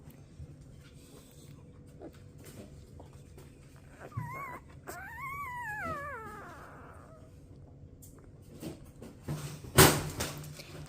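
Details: A newborn Golden Retriever puppy, one of twelve born 4/25/23 to Rosie, dreaming indoors: a long wobbling whine that climbs and dips for about three seconds, with faint squeaks before it and a sharp knock near the end.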